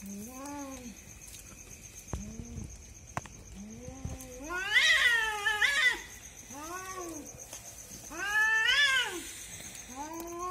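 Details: Two cats fighting at night, described as a husband and wife pair keeping someone awake; drawn-out wavering yowls rising and falling, swelling into louder harsh screeches around the middle and again near the end, with a steady high electrical whine behind.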